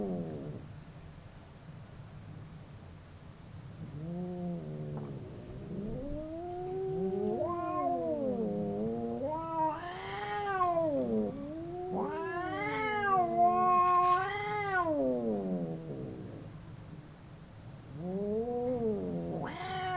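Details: Two domestic cats fighting howl in long, wavering, rising-and-falling yowls.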